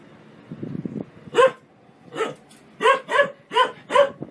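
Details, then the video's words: Happy dog barking for fun: soft low grumble at the start, then six loud barks, some in close pairs. "Dogs barking out loud for fun happy dogs"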